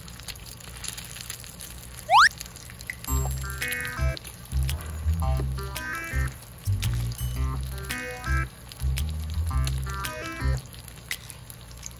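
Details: Upbeat background music with plucked notes and a thumping beat follows a quick rising whistle sweep, and no barking or other animal sound is heard.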